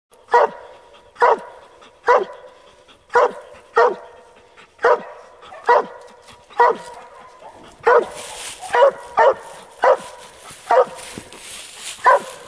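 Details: A dog treeing a squirrel in South Carolina barks loudly and steadily, sharp single barks roughly once a second, about fourteen in a row, with a hiss of wind or rustling joining in the second half.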